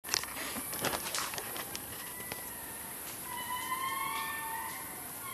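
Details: Indri in Analamazaotra National Park, Madagascar: rustles and clicks open, then from midway a long sustained wail with stacked harmonics, slightly wavering and rising, under a constant high hiss.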